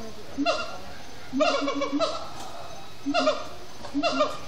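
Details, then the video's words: Siamang gibbons at sundown in Disney's Animal Kingdom, singing and chanting: short bursts of loud, harsh, harmonic barking notes, grouped in clusters about a second apart with quieter pauses between. "Siamang gibbons at Sundown"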